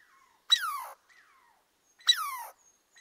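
A squirrel gives two loud, harmonic calls that slide steeply downward, about a second and a half apart.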